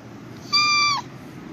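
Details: Single calico cat meow, half a second long, bright and steady in pitch before dropping sharply at the close, in a quiet room.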